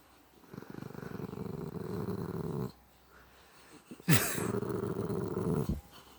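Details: Pet dog, female, growling in a funny voice: two long low rumbling growls with a throaty rattle, the first about two seconds, the second following after a brief sharp noise and pause.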